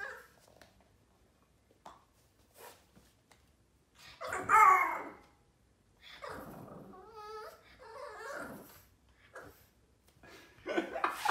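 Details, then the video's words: Yoda, a Boston terrier puppy 4 months old, throwing a tantrum in a small room: squeaky yelps, wavering whines and growly grumbles in irregular bursts, louder near the middle and end. "4 months old Boston terrier dog Yoda throwing a tantrum"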